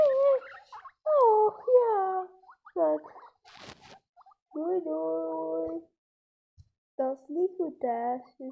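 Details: Baby guinea pigs squeaking indoors: a string of short, tonal, harmonic squeaks, some sliding downward and others held level, coming in bursts with brief pauses between them, and a soft rustle near the middle.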